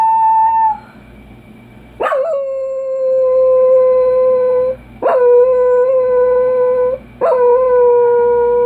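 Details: A Dachshund gives long, steady howls, each opening with a sharp yelp before holding one pitch; the owner wonders if it is sad or tired or misses its dad; Dachshund.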